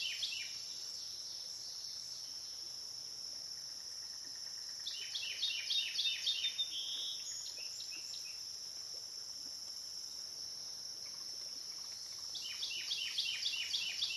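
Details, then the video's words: Overnight river soundscape on the Licking River in Morning View: a steady piercing insect drone persists throughout, broken by two separate bursts of rapid, repeated falling chirps, one midway and one near the end. "Cicada to Cicada - a 12 hour accoustical journey on the Licking River in Morning View"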